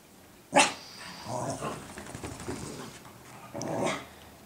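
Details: Cooper and Sophie, two dogs indoors, barking at each other while Sophie teaches Cooper guard-dog duty; one sharp loud bark, murmuring growls, then a second softer bark near the end.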